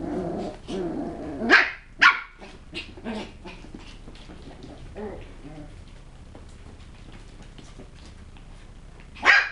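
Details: Westie puppies let out two quick, sharp yaps close together, then a quieter stretch with small squeaky noises before one final loud bark.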